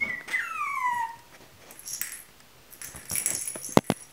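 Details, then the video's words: Chihuahua puppies at a kennel: a high whistled whimper sliding downward over about a second, then soft rustling and clicks indoors. "Щенки чихуахуа"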